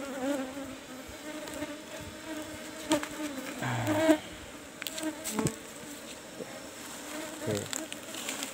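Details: Colony of Apis cerana, kept in numbered hive box 17 and opened for honey harvesting, giving a continuous low humming drone, interrupted by wooden knocks, rustling and brief bumps as the hive is worked.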